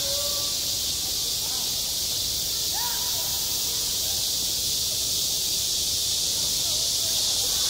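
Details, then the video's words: Cicadas singing on a school playground in midsummer: a dense, unbroken high buzzing hiss that fills the air steadily, with faint distant voices drifting underneath. "한 여름 운동장에서 매미가 울고 있다"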